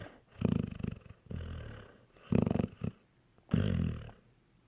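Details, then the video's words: A sleeping pet dog snoring indoors, likened to a cartoon dog; deep rumbling snores in bursts about every second, each inhale a low rattling swell with quieter wheezy exhales between. "Honey snoring like a cartoon dog"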